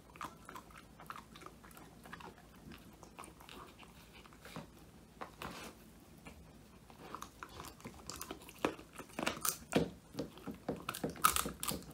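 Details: Woody, a male Old English Sheepdog born 22 January 2019, crunches through a whole quail as his first homemade treat, filmed indoors on a phone; irregular loud bites and crisp crunches, sparse at first, then denser and louder toward the end.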